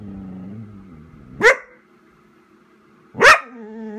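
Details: Vizsla named Chica, a pet dog waiting indoors for its owner to come inside, calling out for her: two sharp, loud barks about two seconds apart, each rising quickly and ending in a brief whine, with quiet room murmur between.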